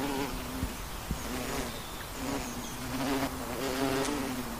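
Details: Western honey bee buzzing in flight, a steady low drone with bright overtones that rises and dips slightly in pitch, broken by a few soft clicks.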